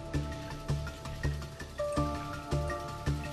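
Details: Rhythmic background music with a regular thumping beat and sustained tones, no animal sound present.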